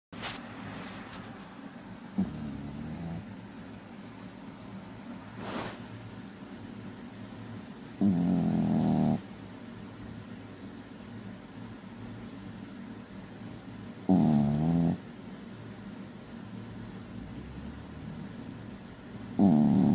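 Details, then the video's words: Sleeping puppy snoring loudly indoors: rough, rasping inhalations at roughly six-second intervals, each lasting about a second, with quiet breathing between them. "my puppy snores so loud"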